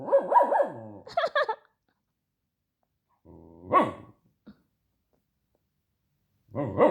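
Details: A dog protests with a wavering yowl and quick barks, then a low drawn-out growl rising into a bark, and another grumbling vocalization at the end after silence.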